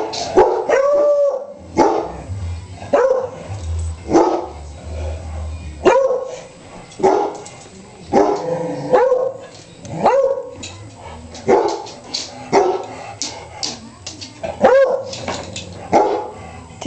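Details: Beagles barking and howling at home: young female Sissy with older male Gonzo, plus a black Labrador, Snoopy. Loud broadband barks recur roughly every one to two seconds, some stretching into short tonal howls; faint voices between.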